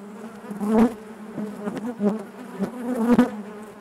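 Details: Honey bees buzzing inside their hive, a dense steady drone near 200 with a second band just above, swelling in loud surges around the first and third seconds, with soft clicks and bumps from the colony.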